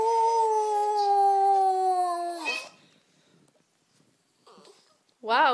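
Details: Female Boston Terrier howling along to a Boston Terrier sing-along: one long, steady, tonal howl lasting over two seconds, sliding slightly downward, then quiet and a brief rising howl onset at the end, with faint speech.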